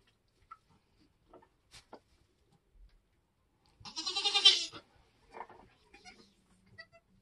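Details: Homestead Nigerian Dwarf goat giving birth during kidding season: one strong, tremulous bleat lasting about a second, rising then fading, set against near silence with a few soft taps and rustles.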